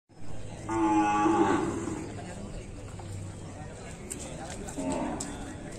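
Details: Bali cattle being bathed, a cow giving one long, steady moo with a rich stack of harmonics lasting about a second, followed by quieter shuffling and a faint second low call near the end.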